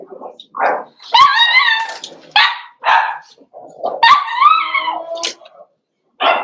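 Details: Cavalier King Charles Spaniel puppies socializing with big dogs in an indoor puppy pen, 12/13/22: long wavering high-pitched yelps and whines with rich harmonics, broken by shorter bark-like bursts.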